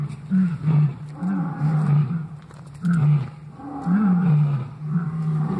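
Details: Morning lion calls heard at waking: low, throaty grunts in clusters, some swelling upward then dropping, spaced about a second apart, with faint background hiss.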